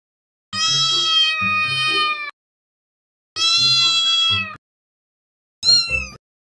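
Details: Domestic cats and kittens meowing: two long, drawn-out, richly harmonic meows of nearly two seconds each, separated by a pause, then a short, higher, rising meow, with faint background music.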